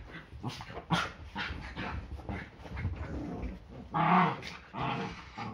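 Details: Yorkshire Terrier during morning play fights before breakfast on a Sunday: a steady low rumbling growl with scuffling, broken by sharper yapping snarls near the fourth second and again just before the end.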